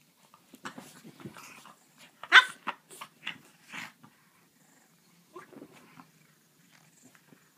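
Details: French bulldog and griffon playing together indoors, giving a string of short, rough growls and snorting yaps over about four seconds, with one sharper bark-like burst near the middle, then a few quieter grunts.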